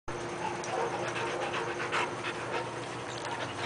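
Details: An 18-month-old female and a 24-month-old male Siberian husky meet; quick, breathy panting bursts are heard with faint whimpering.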